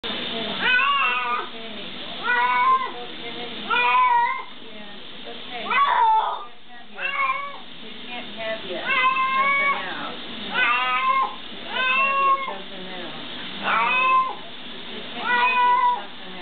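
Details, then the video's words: Domestic cat crying loudly while being given a bath, calls sounding like "help"; drawn-out harmonic meows repeated about every one and a half seconds, rising then falling, in a small indoor space. "Lou cries "Help" while getting a bath"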